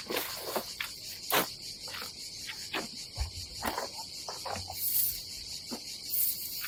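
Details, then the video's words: Cicadas on a summer day at a seaside campsite on the Adriatic coast of Croatia: a steady, dense high buzzing drone runs throughout, broken by repeated knocks, footsteps and rustles of people handling camping gear. "Silent ASMR vlog with nature cicadas sound"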